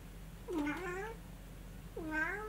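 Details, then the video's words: Munchkin cat in Kyushu, excited by its first sight of heavy falling snow; two drawn-out meows about 1.5 seconds apart, each dipping low then sliding upward with rich harmonics, over a steady low indoor hum. "雪やん！コンコン、キャッキャキャッとマンチカン～Cats Discovers Snow, making noise it"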